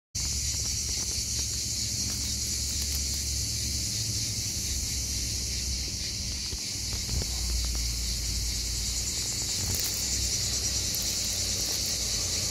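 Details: Hellenic cicada on Skiathos, Greece, in summer, singing almost all day long; a dense, steady high-pitched buzz holds without break, with a low rumble and faint rustling beneath.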